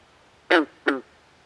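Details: Night-time swamp frog giving a close, loud two-part call, a bright harmonic croak followed a third of a second later by a slightly weaker, lower echoing note, with near silence around it.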